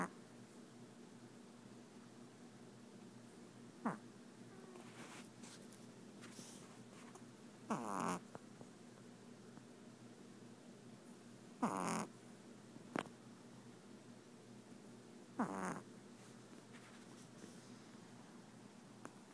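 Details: An 8-week-old red Boston Terrier puppy, asleep on a couch on his second night in a new home, snores softly, with a steady low rumble and a raspy breath every few seconds.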